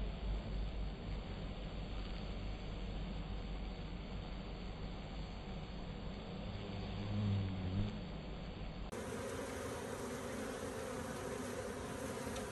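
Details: Bees going about their business, filmed for World Bee Day: a dense, low buzzing hum fills the clip over steady broadband rustle, with the background tone shifting sharply near the end.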